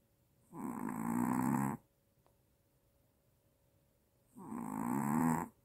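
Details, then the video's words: Small Maltese dog with apnea snoring loudly, two drawn-out buzzy rasping breaths roughly three seconds apart, separated by near silence indoors. "아빠보다 더 크게 코고는 말티즈 /무호흡증/ 코골다 놀라서 깸"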